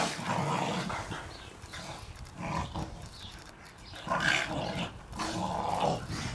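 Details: Staffordshire Bull Terriers playing in the garden with their Christmas balls, allowed to destroy the first one; rough, rumbling growls in uneven bursts, rising into louder snarly peaks near the end, with scuffling noise throughout.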